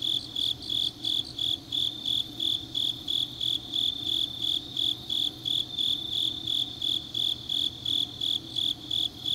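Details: Autumn night chorus of grass insects recorded in Changnyeong, South Gyeongsang Province, Korea; bright, high-pitched pulses about three per second keep a regular beat over a soft, constant low background drone.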